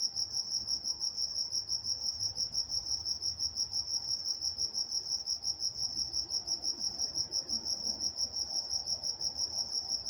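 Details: Night-time crickets in Walnut, California: a shrill, even chirp repeating roughly three times per second without pause, over a soft low hum.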